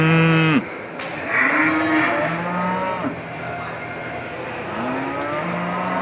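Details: Buffalo cows in a market calling their friends: a loud low moo at the start, then several drawn-out moaning calls, some rising in pitch, over steady market background noise.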